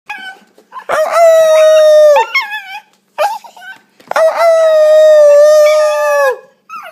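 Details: Enzo, an Italian Greyhound puppy, howling: two long steady tones with a rich stack of harmonics, each held about a second or two, with short yips and wavering breaks around them.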